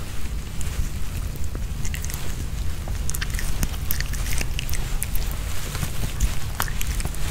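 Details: Nino, a Pomeranian dog, eats a homemade chicken hearts kebab with bell pepper: crisp, irregular chewing clicks and bites over a steady low rumble, with no talking.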